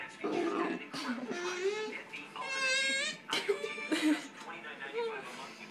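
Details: A 9-week-old Bull Terrier puppy, heavily teething, makes squeaky, groaning, dinosaur-like whines that rise and fall, with a person speaking nearby.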